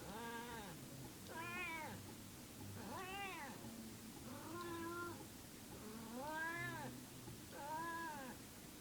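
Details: Domestic she-cat that may be in heat, making unusual repeated yowling meows, six drawn-out wavering calls in under nine seconds, rising and falling, over a steady low background hum indoors.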